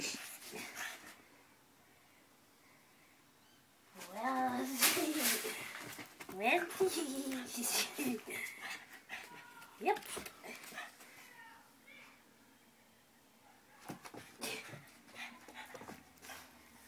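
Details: Rocky, a pet pug indoors in a small room, gives a run of rising whimpering and whining yelps, then scuffling and clattering noises, with a person's voice giving commands nearby.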